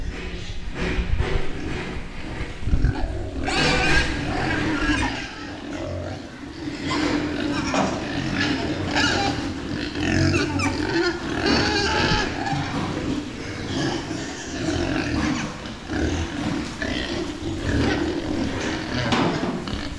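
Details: Meat pigs on a farm, several animals together, giving bursts of low grunts and sharper squeals that come and go over twenty seconds, with a human voice faintly mixed in.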